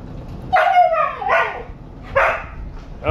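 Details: Husky complaining about going for a walk: a sliding, whining howl, then short grumbling yowls and a final bark-like burst, spoken to after the owner offers the leash.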